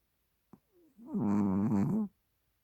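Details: Chihuahua Hodu asleep on a fluffy blanket: a faint click and soft intake, then a second-long droning snore that wavers a little in pitch, in a still indoor room.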